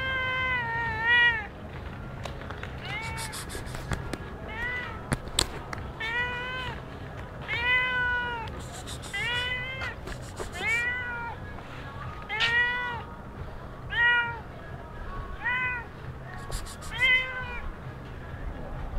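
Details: Stray cat in Sharm el Sheikh, Egypt, mewing repeatedly: arched, harmonic-rich meows rising then falling, about one every two seconds, some short and some drawn out, over a steady low hum and scattered clicks.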